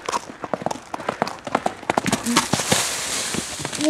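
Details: Mare named Bambina running free in a forest in an excitable mood, sharp hoofbeats coming in a quick, uneven galloping rhythm that thins out midway, followed by a brief human voice at the end.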